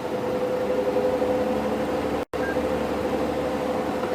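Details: Steady engine hum of a vehicle on a sunset drive in wild Africa, with a constant tone, a brief dropout midway and no animal sounds.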